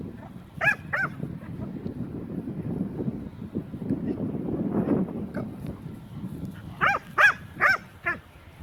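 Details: Aslan, a Leonberger dog, possessive over a new toy, gives two sharp arched yelps. A stretch of low grumbling noise follows, then a quick run of three louder bending yips near the end.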